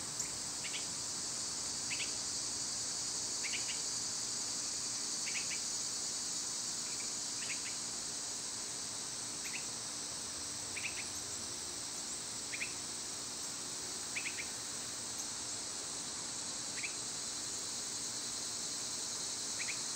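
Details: Steady high cicada buzz through a summer day, with a bird repeating quick sharp chirps at fairly regular intervals over the drone.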